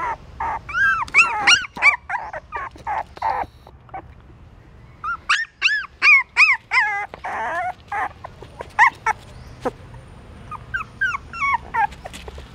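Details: Hungry newborn puppies feeding from their mother inside a pagoda stupa in Siem Reap, Cambodia; bursts of shrill, bending whimpers and yips come in clusters separated by short quiet gaps.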